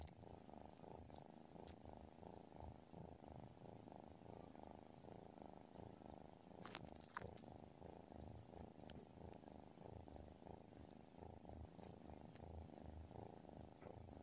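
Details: Deep, even purring from a sleeping tabby cat, rapid rhythmic rumbling pulses sustained for the whole stretch, with a few faint clicks and small taps scattered over it.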